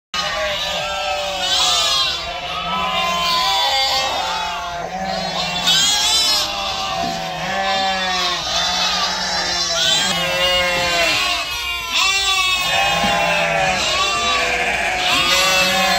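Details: Sheep at a farm in the evening bleat continuously and in overlapping calls, a dense chorus of quavering, harmonic bleats rising and falling with no pause.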